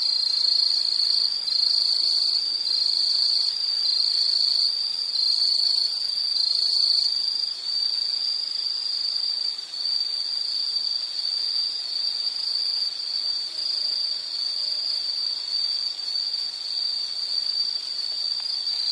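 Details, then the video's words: Insects trilling outdoors: a loud, steady, high-pitched buzz runs throughout. For the first seven seconds a second insect overlays it with pulsed chirps, roughly one burst every seven-tenths of a second, before only the continuous trill remains. "Sound · Nature Sound of nature sounds scenery L · insect"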